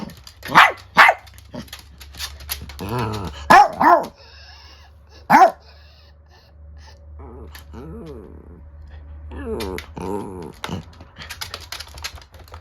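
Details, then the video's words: Female Chiwax, a chocolate-and-tan Chihuahua × rabbit dachshund mix born July 2020, squares off angrily with an older miniature dachshund indoors; several sharp barks early, then drawn-out wavering growl-like whines, with steady low hum. "【犬の鳴き声】怒る犬 老犬VS成犬/ミニチュアダックスフンド/チワックス"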